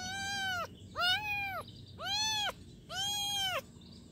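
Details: Four clear, high kitten meows in quick succession, each a drawn-out arched cry lasting about half a second with short pauses between, against faint low background noise.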